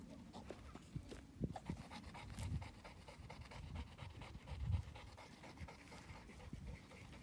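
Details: Two-year-old female North American Mastiff, a breeding dog, panting steadily: quick breathy bursts in a fast, uneven rhythm with soft low huffs and faint handling noise, no voices.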